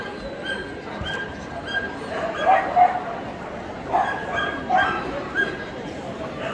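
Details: Adult male Pharaoh Hound competing in the champion class at the 2022 European Dog Show; a few short yelping barks spaced about a second apart in the middle, set against steady show-hall crowd noise.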